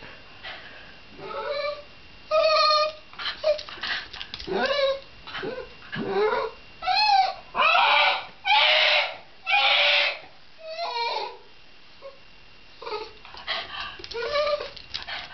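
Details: Shiba Inu letting out a string of loud, strained, wavering screams and whines. Several sharp, harsh bursts follow each other about once a second in the middle, then it tails off into softer, broken whimpers in a small indoor space.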